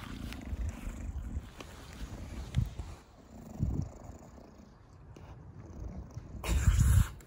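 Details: Pet Bulldog Da Vinci lounging in a garden with its owner, giving rhythmic low snorting breaths like a purr, swelling and fading, ending in a louder rasping snort.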